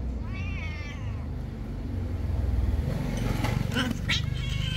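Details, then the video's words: Domestic cats quarrelling and competing: a rising, wavering meow with stacked harmonics in the first second, then harsher, noisy cries around the fourth second over a steady low rumble. "meowing Kitty vs Cats quarrel, bite and compete"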